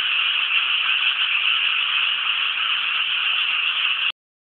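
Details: Chorus of frogs in rice fields near Inasato, Nagano City, Japan, heard as a steady, thick mass of overlapping rattly croaks that holds constant and then stops abruptly before the end.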